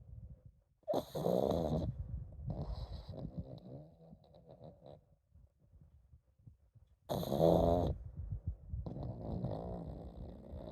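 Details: Komame, a pet pug, sleeps and snores on and on: two loud, rough, buzzy snores about six seconds apart, each lasting nearly a second, with softer wheezy breathing rasps between them.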